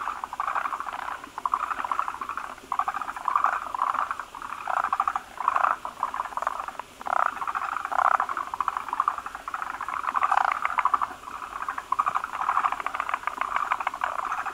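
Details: Forest green tree frogs at a breeding site where many males gather around a large egg-laden female to spawn foam nests; rapid pulsed, clucking bursts about a second long, repeated and overlapping in a steady chorus.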